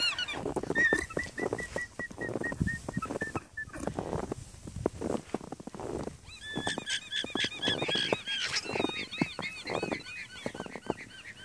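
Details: Alarmed alpacas run back and forth in a Maine farm pasture on a morning when a fox appears. Thin, level squeaky notes repeat in a row, then give way to many overlapping, wavering high squeals amid trampling and rustling.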